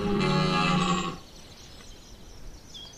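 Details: Brief, powerful roar of a red deer stag in rut at Chambord, September 2021: one harmonic-rich bellow about a second long, then quiet with faint bird calls.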